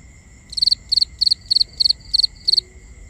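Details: Crickets calling at night in binaural sound: seven bright chirps, each of three or four rapid pulses, spaced about a third of a second apart against a continuous high drone.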